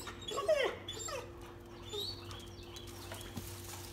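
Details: A brown Dalmatian, one of a pair of twins facing a fake squirrel prank, lets out a quick high bent whine followed by a softer yip, over a constant low electrical hum.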